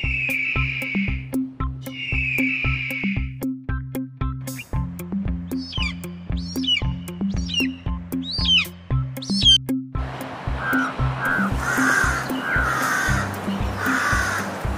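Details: Frog chirping in a children's farm-animal lesson: a rapid train of short, high trilled notes lasting about two seconds, set against a steady rhythmic music beat.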